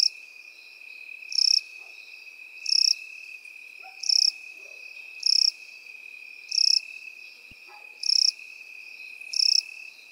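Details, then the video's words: Field grass insects, crickets and grasshoppers, sing in a slow regular rhythm: eight bright, buzzy, pulsed chirps at roughly one-and-a-half-second intervals, layered on a constant high drone from another stridulating insect. "Сверчки и кузнечики в полевой траве"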